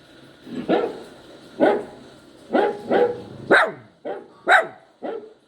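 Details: Poodle puppy crying and yowling: eight short, sharp, harmonic yelps spread over about five seconds, each rising then quickly falling, with brief quiet gaps between them.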